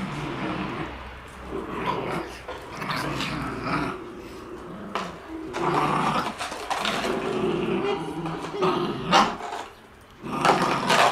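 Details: Shiba Inu puppies playing outdoors on January 17: rough playful growls and grumbles in irregular bursts, with a few short yips and brief pauses, some human voices in the background.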